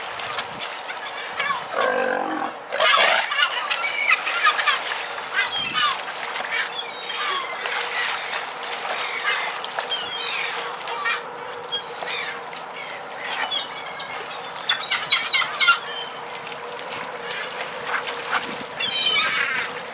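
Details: South American sea lions at the port of Rawson, Chubut, Argentina, being fed crates of fish thrown from fishing boats after they dock; a rough, low, harmonic groan near the start, then a busy chorus of higher squawking calls and noisy bursts.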